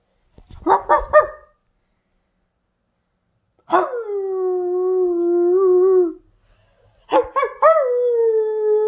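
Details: A male Siberian Husky gives quick yips, a long wavering howl, then a burst of chattering vocal sounds.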